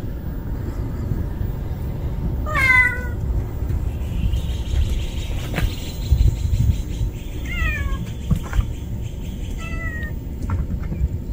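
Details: Street kitten that cannot live without its mother meows three times, a sharp rising-falling cry then two softer, shorter ones, spaced a few seconds apart against constant low urban rumble and faint clicks.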